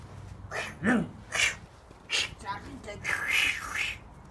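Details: Six-week-old Tibetan mastiff puppies having fun and playing, barking deep like their father: a handful of short, rough barks and higher yelping cries come in separate bursts about half a second apart, heard indoors in a small room.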